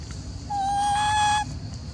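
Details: Macaque Elpida, a golden girl of the Maha Nokor group, gives a single steady, flat, tonal coo of about one second, sounding upset and jealous as old female Susie is fed, with quiet background hum.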